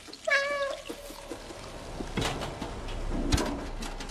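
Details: Cat giving a single short, clear meow with a steady, slightly falling tone near the start, followed by clattering and rustling household noises.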